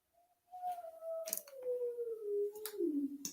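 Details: A big Great Dane living next door howls for his owner in the background of an indoor recording; one long, smooth tonal howl sliding slowly downward in pitch over about three seconds, with clicks and small handling noises nearby.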